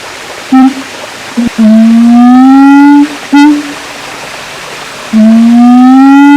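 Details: Siamang at Taman Kyai Langgeng, Magelang, Indonesia: loud, clear tonal whoops, two long notes each sliding slowly upward over about 1.5 seconds, separated by short clipped hoots, over a quiet background.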